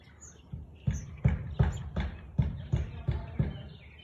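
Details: Barking Siberian Husky, 13 March 2021, 4:17 pm: a rapid run of seven deep, punchy barks roughly three per second, with faint bird chirps overhead.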